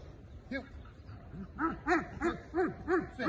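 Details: A Belgian Malinois at the start of executive protection training barks in a quickening series. One isolated bark comes first, then six forceful, evenly spaced barks about three per second over a faint background hiss.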